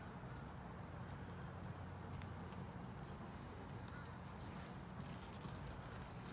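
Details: Bees of an inspected honey bee colony in a 10-frame deep box topped with a honey super, giving a continuous deep buzzing drone that holds even throughout, with soft ticking sounds from handling the frames.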